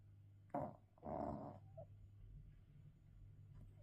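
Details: Sleeping English bulldog gives two short rasping snorts in quick succession, the second longer and harsher, followed by quiet breathing over a low indoor hum.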